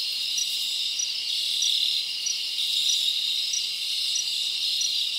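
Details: Many crickets chirp together at night in a summer forest, a constant high shrill buzz with slight swells in loudness.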